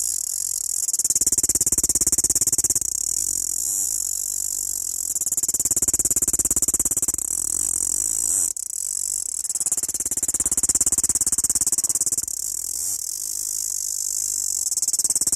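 A cicada gives a shrill, continuous buzzing mating call that swells and fades in slow waves.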